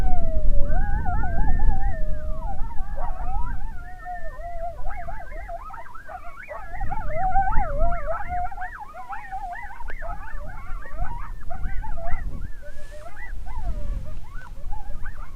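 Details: Coyotes in the Nebraska Sandhills answer a hunter's howls with a chorus of wavering, yipping howls that rise and fall over one another.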